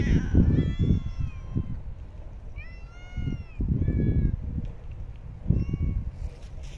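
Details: Stray cats fed in parks and streets: four meows in a row, each a bright arched cry, the second longest, over low rumbling background noise.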